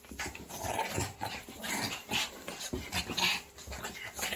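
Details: Shih Tzu. Small Shih Tzus yap in quick, irregular bursts, the sharp barks mixed with rough growling. The sounds tumble over one another at no steady pace, with a roomy indoor echo.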